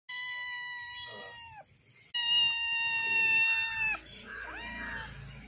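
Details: Persian cat. A Persian kitten meows three times, each call a sustained high cry that slides downward at its close. The second meow is loudest and longest, and the last fades into faint background noise.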